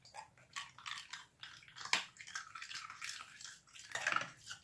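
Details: Irish Terrier puppy crunching on ice indoors, with sharp, irregular crackling bites and grinding chews in quick bursts, a loud snap near the middle and short pauses between mouthfuls.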